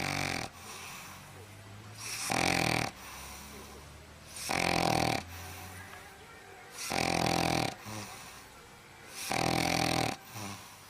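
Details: Dog snoring loudly while asleep: harsh, rasping, broadband snores, each about half a second long, repeating steadily every two to two and a half seconds, five snores in a row with quieter breathing between.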